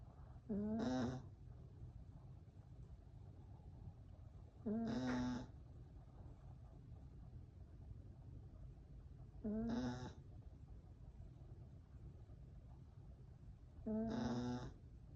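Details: Yorkshire Terrier puppy asleep, snoring in a steady rhythm: four nasal, tonal snores about every four and a half seconds, each rising slightly in pitch and ending in a breathy hiss, with quiet room hum in between.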